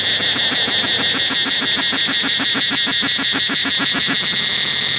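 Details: Cicadas throughout the forest at Angkor Wat temple fill the air with an intense, shrill, metallic drone, unbroken but swelling and fading in rapid beats about three times a second.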